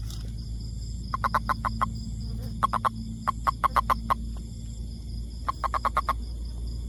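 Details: Toad giving quick clucking pulse trains of five to seven notes, repeated in groups every second or so, with a constant low rumble and faint high tonal hum behind.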